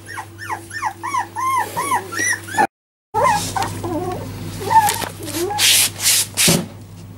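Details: Four-week-old Jack Russell Terrier puppies that began walking four days earlier give a rapid run of high, arching whimpers, about ten in under three seconds. After a short gap come softer, wavering whines and rustling, while a person coaxes them with "puppy".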